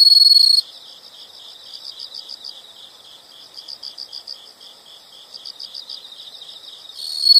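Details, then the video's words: Insect chirping in a nature recording: mostly soft, high pulses grouped in rhythmic bursts, framed by short loud buzzing trills at the very start and end. "the sound of insects"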